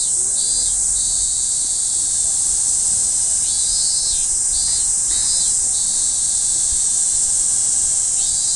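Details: Cicada recorded on 1 July 2015, a loud unbroken high-pitched buzzing drone, with shorter pulsed buzzes from other insects breaking in and out now and then.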